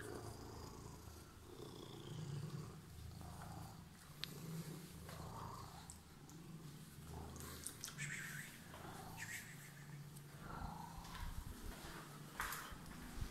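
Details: Purring domestic cat with emerald eyes, waiting for its owner indoors; a steady low rumbling purr runs throughout in rhythmic waves, with scattered soft clicks and rustles on top.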